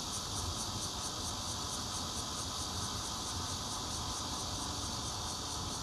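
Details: Zhongli, Taiwan, 16 June 2013, fourth-floor home, Nokia Lumia 820: red-veined and intermittent bear cicadas singing, a bright sustained high buzz with regular throbbing pulses about three per second and a low background rumble.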